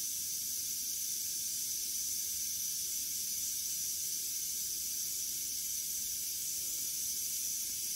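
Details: Continuous dry, hissing buzz of a western diamondback rattlesnake as it finishes off a mouse, level and unbroken for the whole stretch.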